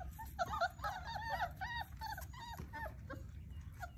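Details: Basset Hound puppies at play give high, whiny yips and squeals in quick irregular bursts, each note bending up and down, with a low rumble underneath.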